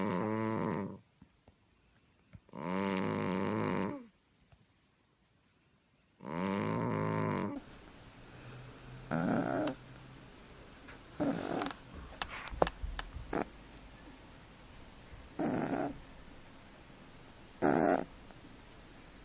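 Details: Sleeping pet cat snoring indoors: long, loud harmonic breaths of about one and a half seconds each, repeating early on, followed by quieter, shorter noisy bursts and clicks over a low background hum.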